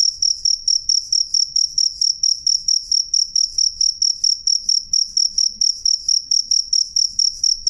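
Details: Loud, clear cricket chirping: a single insect pulses a high ringing note about three times per second in a steady regular rhythm, with faint low rumbling beneath.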